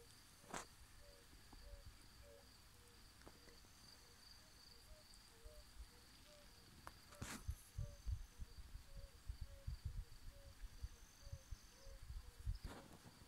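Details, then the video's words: Yellow-bellied toads singing in the evening at a homestead in a Transylvanian mountain village give soft, mellow hooting notes, several calling in overlapping quick succession. "Yellow-bellied toads singing"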